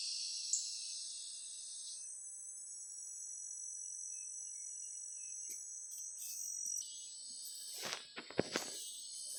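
Cicadas keep up a steady, high-pitched buzzing drone with layered tones.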